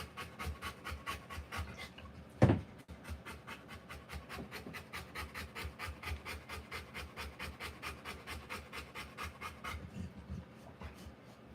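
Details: Rottweiler giving birth to puppies, panting in fast, regular broadband breaths of about two per second, with one brief loud knock early on and a short pause near the end.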